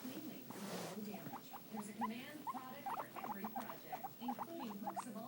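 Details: Two guinea pigs, one white and black and one white and brown, chatter in quick, short, sharp squeaks, tumbling out in uneven runs, with a soft murmur of voices low in the background.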